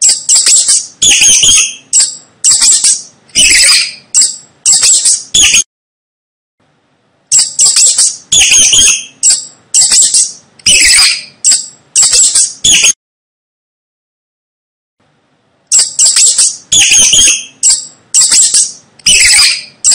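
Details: Shrill rat squeaks come in rapid chattering runs of high, harmonic squeals, broken by two silent gaps of a few seconds, with no other sounds.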